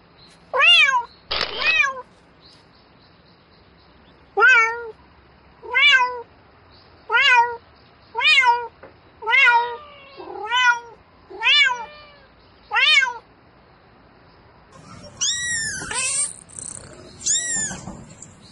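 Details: Domestic cat calling for a mate at night: a steady run of about nine clear, harmonic meows, each drawn out and falling slightly, spaced a little over a second apart, ending in two louder, strained, rising wails.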